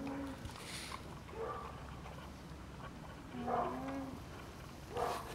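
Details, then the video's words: Kept llamas humming, a sound that often signals distress from a strange dog, an unusual noise or someone blocking the feed bucket. Faint, low nasal hums come in short bursts, about three of them, over steady background noise. "Llama Humms"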